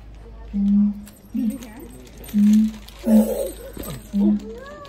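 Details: Siamang pair, father and mother, singing in harmony at the Los Angeles Zoo. Low, sustained booming notes come in a slow series of five, with people talking in the background.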